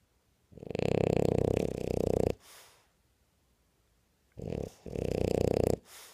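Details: A French bulldog snores while awake, two long, rattling, fluttering breaths, each followed by a softer exhale.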